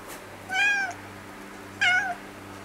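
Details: Orange-and-white former stray cat, now nearly a house cat, reacting as recorded cat voices are played to it: two loud, clear meows about a second apart, each with a bright harmonic stack that rises then falls, over a faint steady hum.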